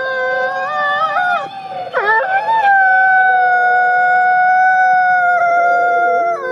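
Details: Gray wolf born in captivity at a conservation center in South Salem, New York; overlapping drawn-out howls, with one voice breaking and wavering near two seconds before the long, steady, even-pitched tones carry on together.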